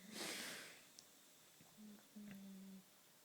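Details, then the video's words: Boxer dog named Turbo napping in a curious posture, snoring even while awake; a broad breathy snort opens, then low steady droning tones near the end, one short and one longer, in a quiet room. "Boxer snoring (boxer roncando)"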